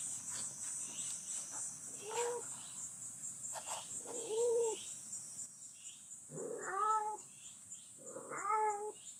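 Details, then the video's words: Jerry, a barn cat still nursing her kittens, with a strange sound heard outside: four drawn-out, tonal meows roughly two seconds apart, the last two higher and brighter, over a steady high insect-like hiss. "[축사 고양이 제리의 하루] #3 밖에서 들리는 이상한 소리의 정체는?"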